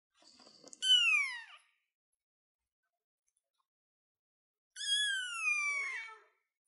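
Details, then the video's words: Kitten sitting on a chair, giving two high, thin meows several seconds apart, each starting bright and sliding downward in pitch, with silence in between. "baby cat sounds cute kitten kitty cat on the chair"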